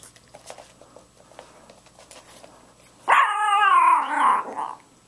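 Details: A Chorkie, a Chihuahua-Yorkie cross toy dog, female, excited indoors about going for a car ride: after three seconds of faint clicks and shuffling, a loud wavering, whining cry rises and falls for about a second and a half, almost human-like.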